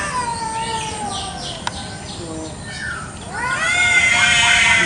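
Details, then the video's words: Village cats fighting over territory in a garden one morning: a long, wavering drawn-out yowl that slides slowly downward, then swells into a louder, strained, harmonic-rich wail near the end, with a sharp click midway. "KUCING BERTENGKAR HEBAT BEREBUT WILAYAH"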